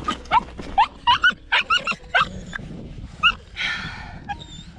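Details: Tibetan Mastiff puppy refusing to get into a car; a quick run of about nine short, high yelping barks in uneven bursts over three seconds, then a rushing noise and a faint whistle-like tone.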